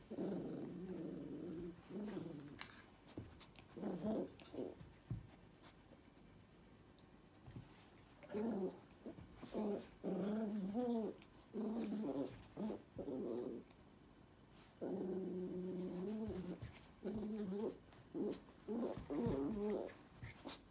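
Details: Pet toy poodle making a long series of rolling, tonal growls in bursts of one to two seconds, with the pitch rising and falling inside each burst and short gaps between bursts.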